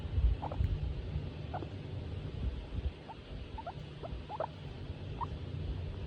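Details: Female skinny guinea pig named Tomato, in a good mood while being stroked; a low, steady rumble under scattered short, soft squeaks and chirps, with rustling handling noise.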